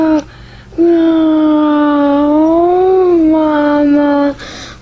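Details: Indoors, a Samoan husky dog that wants its mom gives one long sustained howl of about three and a half seconds, steady in pitch with a slight rise and fall near the end, framed by short quieter sounds.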